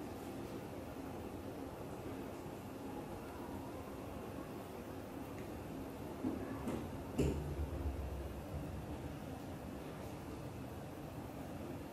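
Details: Quiet indoor room tone with low rumble and a brief soft knock or click near the middle; no animal voice stands out.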